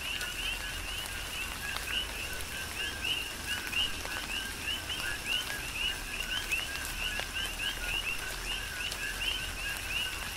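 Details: Coqui frogs in a tropical downpour on Hawaii's Big Island, a lively chorus of clear chirps, each a low note sliding up to a higher whistle, repeated densely while rain hisses and drips fall nearby.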